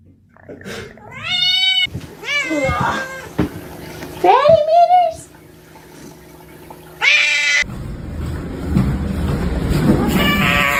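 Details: Domestic cat giving a string of loud, drawn-out meows, some rising and some falling, with strong harmonics and strained, wailing tones. The meows are separated by abrupt cuts, and a person speaks briefly over the background.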